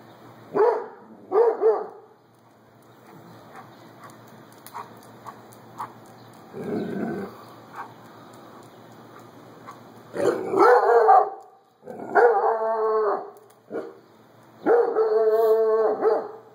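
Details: A Doberman going nuts with no one around: scattered loud barks separated by quiet gaps, a low rough bark burst midway, and drawn-out wavering howl-like cries near the end.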